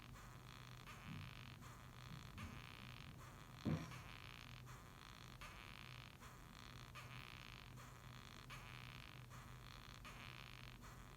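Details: Rhinoceros beetle from Japan giving soft rasping squeaks, "gyui gyui gyu gyu", in regular pulses under a constant low hum, interrupted by a single loud knock.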